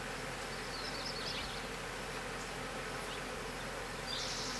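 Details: Honey bees from a hive being rehomed at a small homestead apiary in the Cascade Mountains of the Pacific Northwest, May 19, 2016; a steady, dense hum fills the clip with no gaps, broad and hissy.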